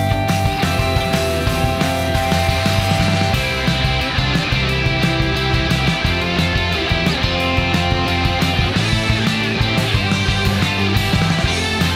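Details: Dense rock music plays throughout, with pounding drums, thick bass and distorted guitars, and no other sounds.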